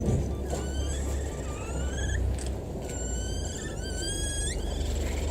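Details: Capybara giving a series of thin, high whistled calls, each sliding upward in pitch and repeated several times, over a steady low rumbling hum.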